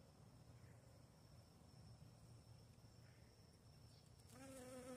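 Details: A Western honey bee (Apis mellifera) gives a low, steady wing buzz that swells into a louder, richer drone near the end.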